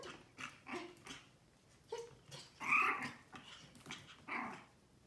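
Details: Young Pomeranian puppy with a teddy-bear face makes soft, squeaky little yaps, the strongest a piercing squeal near the middle and another toward the close, over low rustling and distant talk.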